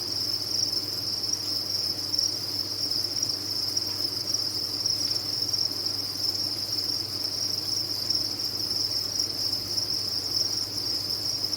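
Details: Many crickets housed on a cricket farm give a constant, high, ringing trill with no breaks or changes, accompanied by a gentle low background hum.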